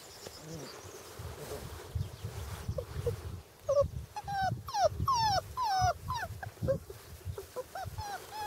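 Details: Hungarian Vizsla puppies, five weeks old, during early hunting imprinting. A low rumbling background gives way to a rapid burst of high, wavering whines and yelps that slide downward, several each second and partly overlapping.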